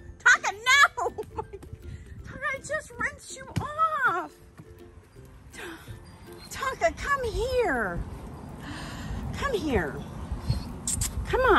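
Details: Tonka, a male Alaskan Malamute, cries during his coat blowout bath in a tub, giving repeated high, wavering whines that rise and fall in arcs, mixed with a woman calling his name and telling him to come here.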